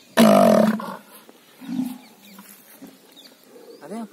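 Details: Kangayam mayilai bull in Pollachi gives a single loud, harmonically rich bellow of about half a second at a steady pitch, then only faint scattered sounds follow.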